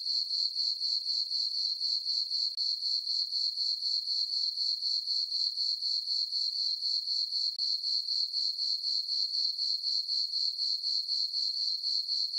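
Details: Crickets chirping on a summer night in a meadow on a farm under a full moon: a steady high-pitched pulsing trill, about four chirps a second, even and unbroken, with no other sounds.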